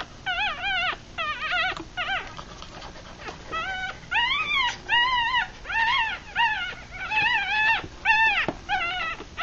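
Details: Three-day-old Rat Terrier–Chihuahua cross puppies, eyes closed, feeding in a litter of six; rapid high whimpers, each an arched whine rising then falling, about one per second, several pups crying over one another.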